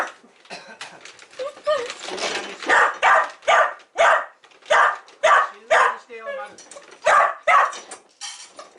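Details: Pet dog indoors at home on a rainy day, barking as food is being prepared: a run of sharp barks repeated roughly twice a second, with a person's voice and household clatter mixed in.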